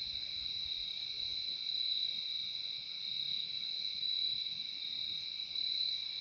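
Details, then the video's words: Nature recording of crickets, their shrill high-pitched trilling running continuously without pause, swelling slightly in loudness now and then over a quiet, faintly rustling background. "Relaxing sound of crickets"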